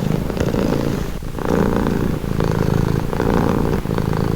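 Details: Purring cat, offered as a calming sound: deep rattling drone with clear breathing cycles, brief dips between louder stretches roughly every second, steady throughout.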